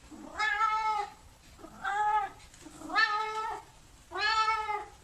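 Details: Cat giving four drawn-out, harmonic meows roughly once a second, each opening with a brief low note before a steady, nasal tone, over a faint background hiss.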